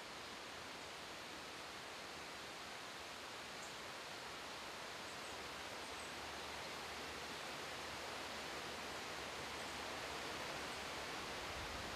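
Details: Steady broadband hiss like rushing water or wind, with no animal sounds. The noise holds an even level throughout, without calls, rustles or footsteps standing out.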